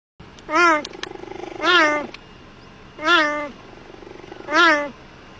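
A cheetah gives four loud, cat-like meows, each dipping then rising, about a second apart.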